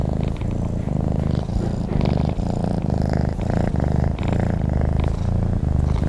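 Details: Sleeping cat purring, deep buzzing rumble in even cycles of roughly one breath per second, each inhale and exhale phase clearly separated by short dips.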